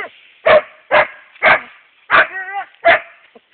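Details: Male Siberian Husky, seven and a half months old, barking at a hedgehog: five sharp, loud barks spaced about half a second apart, one trailing into a short whining tone.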